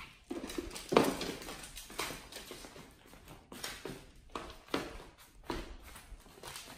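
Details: Nomyen, a Pit Bull on a raw prey-model diet, chews a whole raw Thai duck. Steady crunching bites come roughly every second, some louder bone-cracking crunches among softer wet chomps, indoors.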